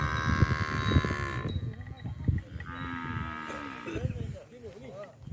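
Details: Tame, fat cows being herded as they roam rice fields near a village, giving low, drawn-out moos with stacked harmonics, alongside sustained higher tonal hums, scattered knocks and rustling.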